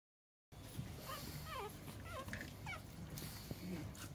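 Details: A young female pug gives a string of short, high, wavering whimpers that bend down and up in pitch.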